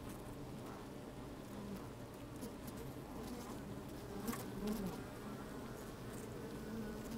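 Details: Honey bees moving about an opened hive in sunshine, captured from within by a lowered microphone: steady low hum overlaid with faint crackling patter and a brief louder buzz partway through.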